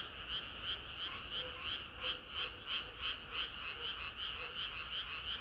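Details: Frog chorus on a hot summer night, rhythmic croaking pulses repeating roughly three times a second, bright and even, with fainter calls layered in the background.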